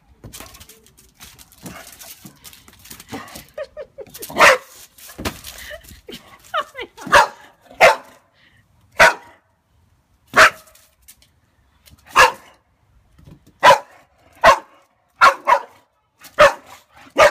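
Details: Pixie, a Boxer dog scared of a balloon, gives a series of sharp, loud barks, about a dozen spaced one to two seconds apart, after earlier softer whines and yips; a person speaks briefly near the start.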